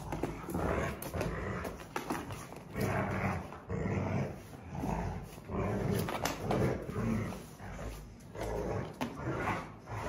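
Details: Two Rottweiler sisters growl in deep, rumbling bursts while play-fighting in a tug-of-war.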